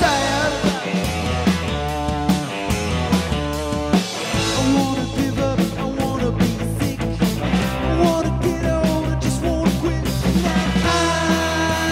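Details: Loud rock music with driving guitars, drums and singing.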